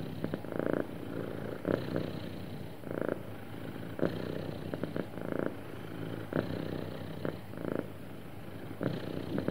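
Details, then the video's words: Happy cat purring smoothly, its deep rhythmic rumble pulsing in repeated waves roughly every second, each inhale and exhale marked by a louder surge, in a quiet indoor space. "Happy Cat Purring Smoothly"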